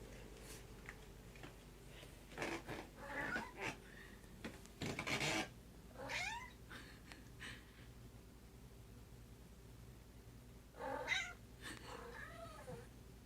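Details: Pet cat indoors, excited when found after hiding in the bathroom, stretching and making silly noises: several short chirpy meows with rising-falling bends, spaced irregularly, plus rustling thumps in a small room.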